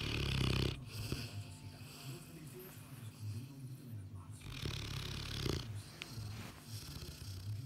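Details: A sleeping Boerboel snores in low, rumbling breaths that rise and fall irregularly, with a louder burst at the start and softer steady snores afterward.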